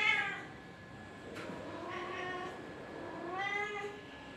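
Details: Kittens playing and attacking each other give high, strained meows: a sharp cry at the start, a drawn-out wavering mew from about 1.5 to 2.5 seconds, then a rising, bright meow near 3.5 seconds, over a quiet room hiss.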